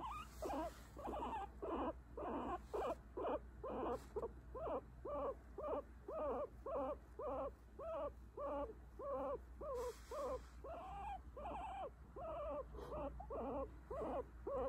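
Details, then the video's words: Guinea pig being petted, telling where to pet and where not to; an even, rhythmic string of arched whining notes, nearly two each second for the whole stretch, over quiet room hum. "Guinea pig telling me where to pet and where not to"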